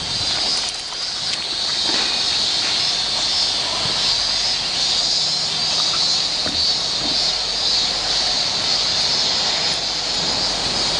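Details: Many cicadas heard on an outdoor walk keep up an even, piercing high-pitched drone, with occasional faint ticks and a soft low hum underneath.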